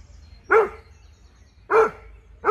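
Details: Encounter between the Dobermann Jeff and a Fox Terrier: three loud, harsh dog barks, each short and slightly falling, spaced roughly a second apart over low outdoor rumble.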